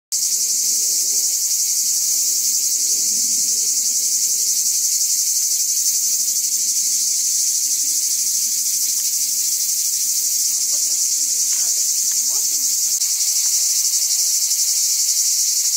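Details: Cicada giving a continuous, shrill, high buzzing drone that holds steady throughout, with faint low rustles and knocks underneath near the end.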